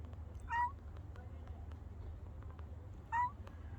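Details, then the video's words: Brown and white female cat giving two clear, brief meows, roughly two and a half seconds apart, each rising then dipping, against a constant low rumble. "חתולה לבנה חומה משמיעה קולות A brown white cat making a sound"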